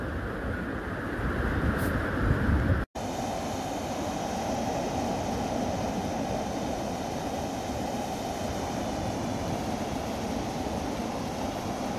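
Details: A steady, broad rumbling roar like passing vehicles or strong wind, with a brief break, and no animal voices.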